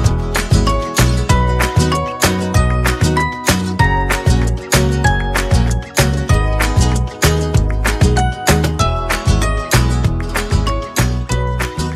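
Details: Loud upbeat flamenco-style guitar music with a strong steady beat, no animal sounds heard.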